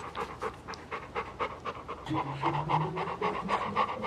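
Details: A pet dog panting while being petted at home, quick breathy puffs repeating about four times a second throughout, with a man's voice talking to the dog over the second half.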